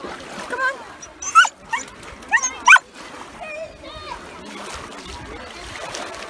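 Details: Happy, excited Samoyed named Yuki at a beach in the UK on a hot day, kids and dogs playing nearby: sharp rising squealing whines in three quick bursts, followed by quieter whining amid voices and beach noise.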